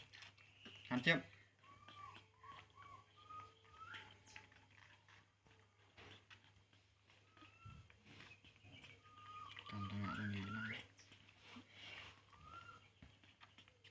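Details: Baby monkey named Poo crying while drinking milk: short arched whistled whimpers, mostly at one pitch, come in loose runs, with a louder burst near the start and a person speaking briefly near the end.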